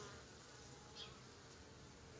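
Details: Honey bees moving back and forth at the entrance of their hive, wings not fanning; a quiet, even insect drone with a faint hum and one tiny tick midway.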